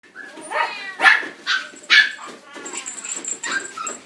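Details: Male black-and-tan Miniature Pinscher born 9 June 2016, in a pet shop, giving short harmonic yips and whiny barks about once a second, with a steady high electronic whine behind.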